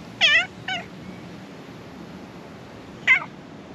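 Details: Black cat emerging from under the floor of a shrine to be petted, giving three clear, high harmonic meows: two short ones close together, then a single wavering meow about two and a half seconds later, over quiet background hiss.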